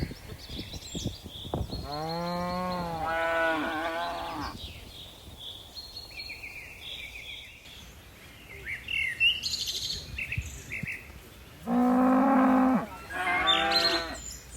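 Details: Dozens of tame cattle leaping down a mountain slope: a pair of linked moos early on, then two more short moos near the end, with lively bird chirps filling the gaps.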